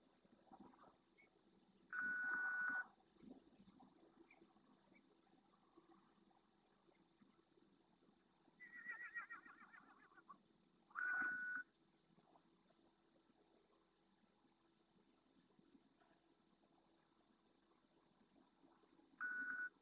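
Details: Red deer at night in the Doñana National Park marshes, Spain, a group of two adult hinds with seven calves near a camera: four short, nasal, tonal bleats spaced several seconds apart, over faint background noise.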